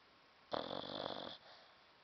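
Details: Sleeping dog snoring indoors; a single rasping, rattly snore lasting under a second, followed by quiet.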